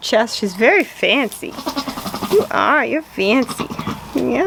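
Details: Newborn goat kids, just born to the family's goat, bleating in a run of short wavering cries, each one rising and falling, closely spaced, with human voices mixed among them.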